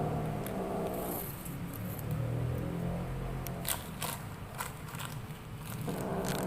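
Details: Kitten at play making a strange sound: a low, steady purring rumble with layered harmonics that shifts in pitch, broken by scattered sharp clicks and rustling handling noises.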